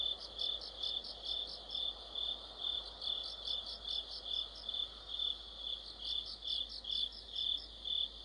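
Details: Crickets and other insects singing together in autumn: a steady high shrill trill underneath, with higher pulsed chirps repeating a little more than twice per second across the whole stretch, no other sounds.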